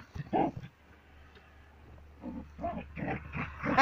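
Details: Border Collie named Sam at play with his ball, giving a short harsh grunt, then after a pause a rapid series of rough, throaty growling bursts rising in loudness.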